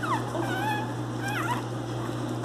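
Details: A 32-day-old female Miniature Pinscher puppy whimpers while held and given deworming medicine, fighting it and spitting it out. Thin, high whines slide downward and waver, over a steady low indoor hum.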